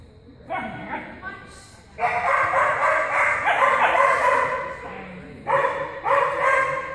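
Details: Soft-coated Wheaten Terrier named Cianán giving loud, harmonic vocal bursts: a short one, then a long sustained run of about three seconds, then two more short bursts. A human voice is heard alongside.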